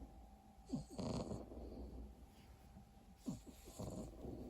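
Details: Exotic Shorthair cat snoring softly: two short snuffling, rasping breaths with small squeaky catches, about two and a half seconds apart, over a low steady hum.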